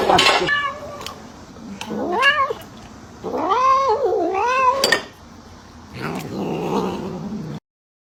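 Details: A cat thieving food makes a series of wavering, rising-and-falling meows, the longest one bending up and down like a wail, with faint household noise between calls.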